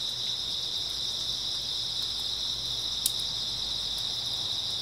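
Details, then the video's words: Steady high-pitched chorus of grass insects on an early autumn night, one continuous trilling tone with a single brief click midway and little else heard. "초가을 밤부터 새벽까지 백색소음 풀벌레 소리"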